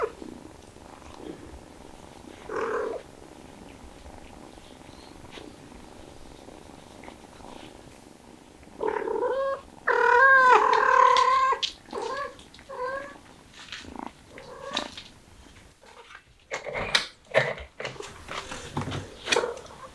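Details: Cat of a stray family with kittens, hot summer: a soft meow early on, then a long, loud, wavering meow mid-way, followed by several shorter meows and knocking, rustling noises.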